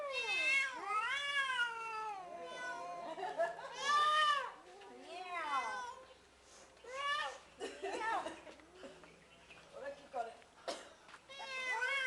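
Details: Two cats give long, wavering meows and yowls, rising then falling, in several drawn-out bouts with short pauses, while a person talks nearby.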